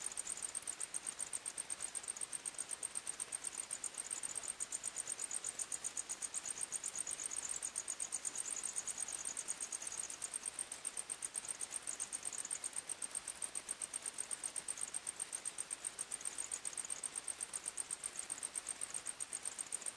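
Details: Night-time forest crickets give a continuous, shrill, high chirping, rapidly pulsed and regular throughout, over a faint hiss of background noise.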